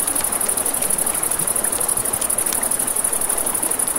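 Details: Riverside crickets at night produce a shrill, rapidly beating trill. Gurgling water and scattered crackles of a campfire fill the lower range.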